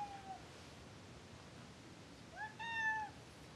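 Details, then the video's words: A short fading mew opens, then after a pause Fitz, a pet cat said to be unable to stand his owner, lets out a clear, steady, rich-toned meow lasting about half a second indoors. "Kitty hates me"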